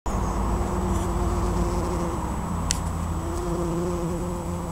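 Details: Bumblebees working a white flowering bush in June 2015 hum with a low, steady drone that swells and fades as they move about.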